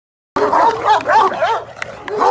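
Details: Two angry Kangal shepherd dogs barking, a rapid run of short, harsh, rising-and-falling barks, about six within two seconds, loud and close.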